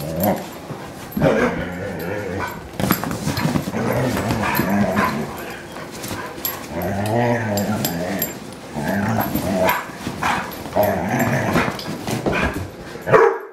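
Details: Two dogs, a German Shorthaired Pointer and a Bloodhound, play wrestling on a couch; continuous low rumbling growls with snorts and scuffling, rising and falling through the clip, occasional sharper yips.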